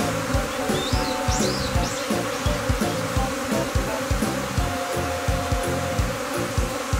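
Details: Swarming Japanese honeybees clustering on a tree branch in Kinokawa, Wakayama, before being netted into a hive box. A continuous droning buzz with low rhythmic thumps, and a few brief high whistled bird notes near the start.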